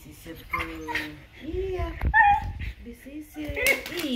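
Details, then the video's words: Female Siberian Husky screaming while being groomed, her shedding coat brushed. Wavering whines and short yelps rise and fall in pitch, with a sharp high cry midway, mixed with a woman talking. "grooming my husky goes wrong (she screams)"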